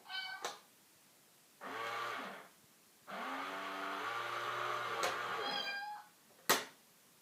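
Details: Indoor cat standoff with a cat in a box: two long, low, wavering yowls separated by a pause, framed by sharp knocks and a faint squeak.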